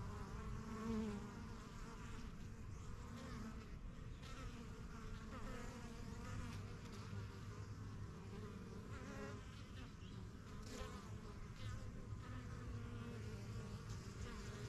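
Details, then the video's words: Honey bees at a strong yellow backyard hive started in spring 2023, flying in and out while settling into new surroundings; a dense, steady low hum of many wingbeats with overlapping buzzing layers throughout. "BUSY BEE HIVE AMBIENCE"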